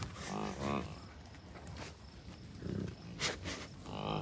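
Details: American bison herd with calves at Rocky Mountain Arsenal Wildlife Refuge, Colorado, June 2022; two quick low moaning grunts at the start, another a couple of seconds later and one at the end, amid gusty wind noise.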